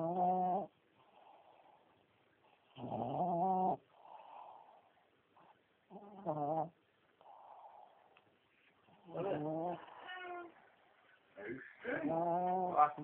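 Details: Pet dog snoring, then growling: short voiced, harmonic grumbles under a second long alternate with softer breathy snore sounds, coming every two seconds or so in a quiet room.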